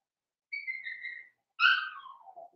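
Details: Blenheim Cavalier King Charles Spaniel puppy from a litter of five born at New Year's, in an indoor puppy pen: a thin, steady high whine, then a louder yelp that slides downward and fades.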